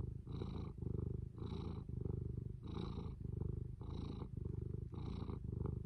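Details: Close, deep purring from Fū the cat, a buzzing low drone pulsing on inhale and exhale roughly once a second, five or six regular cycles with nothing else audible.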